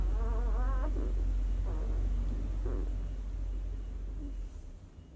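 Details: Newborn White Swiss Shepherd puppy, six days old, from a 2019 litter: one wavering, quavering whine lasting under a second, followed by faint muffled squeaks fading out against a low droning hum.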